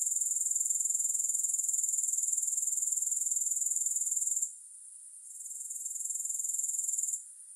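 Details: Grasshopper sound without music: an intense, high-pitched pulsing trill stops abruptly, fades back in after a short quiet gap, then cuts out again.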